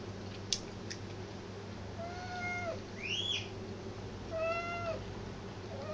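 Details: Black cat meowing indoors after a Persian cat gets all the attention; it also chews the cat food tin. Two drawn-out meows with slightly falling ends, separated by a short rising-then-falling squeal, over a steady low hum.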